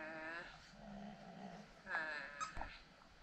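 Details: Catahoula Leopard Dog vocalizing indoors while watching herself on a laptop; a short, soft, whiny moan with a low grunt, followed by faint squeaky notes and light clicks in a quiet room.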